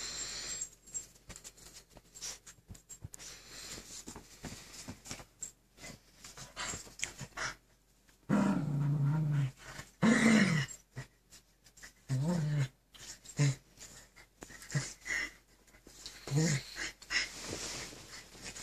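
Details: Two Keeshond dogs indoors battling for control of the bed: low rumbling growls come in bursts after a quiet stretch of shuffling and patter, with several loud growling outbursts midway and toward the end.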